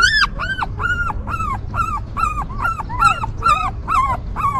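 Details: Newborn puppies with their stray mother: a clear run of high, arching whimpers, each rising and dropping, repeated roughly twice per second over soft background rumble.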